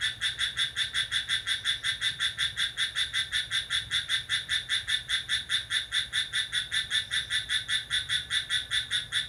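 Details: A lively cricket at midnight on July 6 gives a continuous series of sharp, high, ringing chirps at a fast, fairly regular pace, with a faint low-frequency hum underneath.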